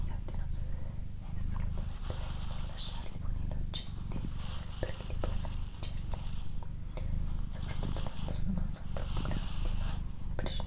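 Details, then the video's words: Indoor purring by Doroti, a female domestic cat: a low, rhythmic rumble rising and falling in steady cycles beneath quiet whispered speech and faint rustling. "ASMR Cat Purring & Whispering"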